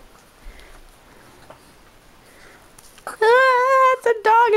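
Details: A dog asking to be lifted up: near silence, then a loud, steady, high, nasal whine starting after three seconds, broken once and resumed, with faint speech earlier.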